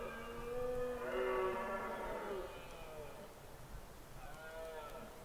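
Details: Red deer stag roaring during the autumn rut in the Scottish Highlands: a drawn-out, groaning harmonic roar lasting about two and a half seconds, followed by a fainter second roar, with light outdoor background noise.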